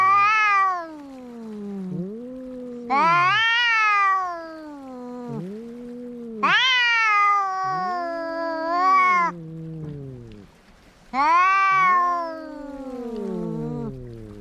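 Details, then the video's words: Two domestic cats in a fight trade yowls: loud high wails burst out every few seconds while a lower, arching growl-moan fills the gaps, the exchange repeating four times. "Som de gatos brigando"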